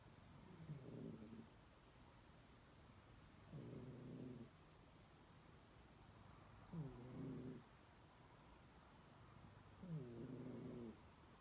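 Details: Domestic cat snoring: low, harmonic rasping snores about one second long, repeated roughly every three seconds, with quiet pauses between breaths.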